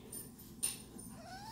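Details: Matty, a pet cat indoors, is unhappy at wearing a pink harness. A soft, short meow rises in pitch near the end, after a brief rustling knock, over quiet room hum.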